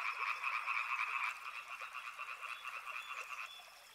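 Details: Frogs at a river produce a loud, pulsing croaking chorus that drops in volume after about a second and thins further near the end, leaving softer rapid trills.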